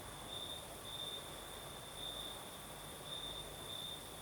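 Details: Night crickets in southern Crimea, with a night breeze: high, pulsed chirping trills in clusters roughly every second, set against a constant airy wind noise.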